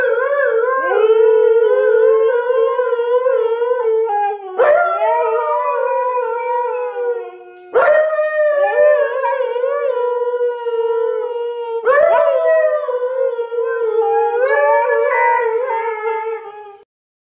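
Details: Siberian Husky in a fit over not being allowed outside: a run of long, loud, wavering howls, each three to four seconds, every one starting with a sharp yelp-like break, continuous and sustained.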